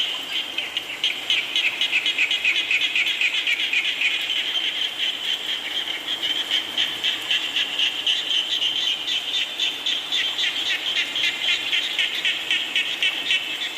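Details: Many frogs croak through steady rain: a thick, high, buzzing chorus of rapid pulses, close to four per second, swelling and thinning, with the soft roar of falling rain beneath.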